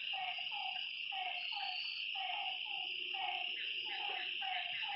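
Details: Lakeside frogs at night giving brief downward croaks in quick series, several animals overlapping, beneath a loud continuous high-pitched insect buzz.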